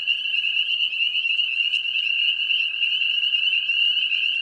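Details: Spring peeper chorus during mating season: many small frogs near ponds and swamps, calling as one dense high-pitched shrill that holds steady without a break, with a fainter lower tone running beneath.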